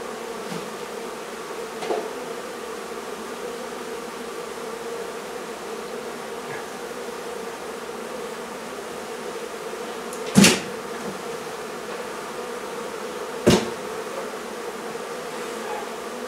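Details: Many honey bees drone continuously as their hive is taken out of a barn in La Feria, Texas. The even, low buzzing is broken by two loud thumps near the tenth and thirteenth seconds.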